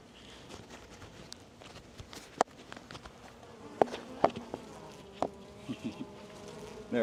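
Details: Western honey bees in a backyard Florida apiary during an early spring hive inspection, giving a steady low buzzing hum from the opened hive, broken by sharp clicks of frame handling.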